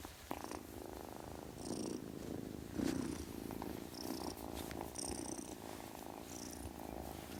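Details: Kitten purring steadily with a low, continuous rumble, broken by several short, breathy hissing bursts.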